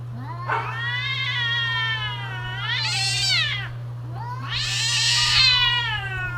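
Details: Domestic cats during mating season, wailing in long drawn-out howls: three rising and falling harmonic-rich cries, each swelling into a shrill peak before sliding down, with a steady low hum underneath.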